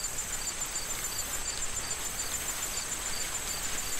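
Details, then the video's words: Crickets in a corn field in autumn, before harvest: short chirps repeat about every half second over a steady high ringing trill, with wind and rustling corn stalks hissing throughout. "Corn Field Sound of Wind and Crickets"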